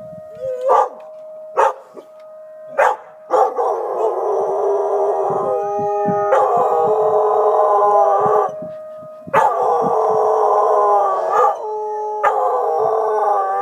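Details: Three dogs, Tobin, Horace and Patton, howling together at emergency sirens during a siren test; sustained overlapping wavering howls with a steady siren tone, broken at the start by short sharp barks.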